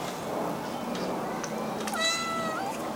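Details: Blue point Siamese cat indoors in an apartment gives a single drawn-out meow, level then dipping, near the end after a person greets it; quiet room tone and soft voice earlier.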